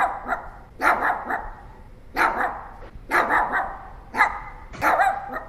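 A Pomeranian gives sharp, high-pitched yappy barks in short bursts about once a second.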